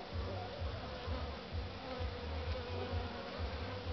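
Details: Western honey bee (Apis mellifera) colony found queenless at spring inspection, low steady droning hive hum swelling and easing in soft pulses; queenlessness suspected from bees' movement at entrance, no brood, much food consumed.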